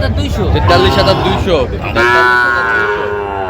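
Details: Sahiwal cattle at a crowded cattle market in Comilla, Bangladesh, in January: after quick market talk, one long, even lowing call holds for over a second while traders keep speaking nearby.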